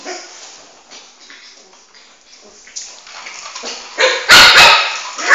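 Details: Shih Tzu puppy named Flame, about four months old, chasing his ball around the house indoors; soft scuffling and faint yips build to a pair of loud, sharp barks near the end.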